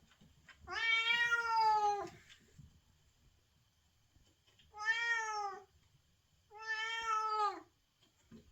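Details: Cat in heat, a white cat indoors, calling for a mate with three drawn-out, wailing meows, the first longest, spaced about two seconds apart over a quiet room background.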